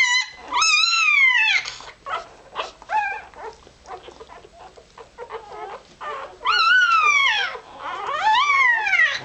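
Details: Irish Terrier pup only a few hours old squeaking as it searches for warmth and milk: high arching squeals that rise then fall, in bursts with quieter shuffling gaps between, and a brief murmur of people.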